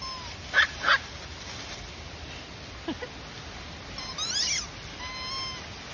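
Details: Cairn Terrier puppies giving two quick sharp yips near the start, a faint thump, then thin high whimpers with a wavering, rising-and-falling whine toward the end, over a steady low hiss.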